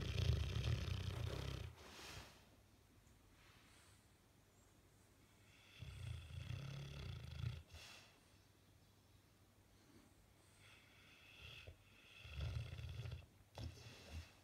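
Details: Sleeping Bullmastiff snoring while its face twitches, three deep, rumbling low breaths spaced several seconds apart with quiet pauses between, in a quiet room.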